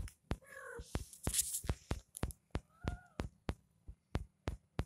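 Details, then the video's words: Kitten meowing indoors: two short, tonal mews, the first wavering and the second a flatter, drawn-out cry, set against a rapid run of loud clicking taps. "cute moments with my baby 😘 kitten 🐈"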